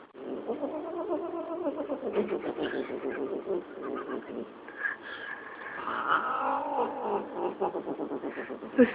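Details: A female domestic cat indoors, hating the other cats, yells at another cat with long, moaning yowls that waver up and down almost without pause, with faint background music and a person's voice.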